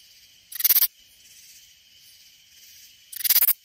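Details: A katydid in the Hill Country near San Antonio, Texas, gives two short, harsh buzzy bursts of rapid pulses, about three seconds apart.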